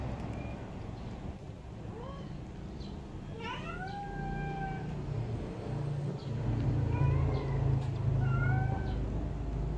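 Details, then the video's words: Young kittens being helped to drink milk, mewing in thin rising and falling cries, a cluster around two to four seconds and more near the end, against a constant low humming background. "Help baby kittens drinking milk"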